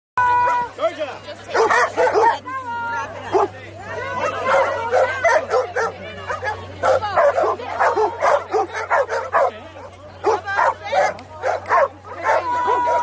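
Golden Retriever puppies give short, high yips and whiny cries, with human voices mixed in.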